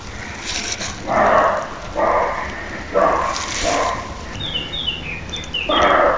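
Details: Male roe deer in Lessinia gives a series of rough, hoarse barks about once a second, each short and broad, followed by faint high chirping near the end.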